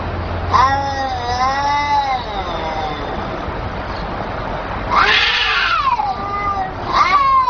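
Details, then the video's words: Kittens talking in drawn-out meows, a long wavering cry, then a loud rough call that falls away, and a final sharp rising meow, with steady hiss behind. "The kittens where talking"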